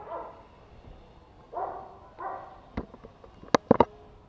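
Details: Toy Pomeranian puppies Pomo, a male, and Pomy, a female, both born in 2017, playing at home in Kathmandu, Nepal: three short, high, yappy barks about a second apart, followed by sharp clicks and knocks.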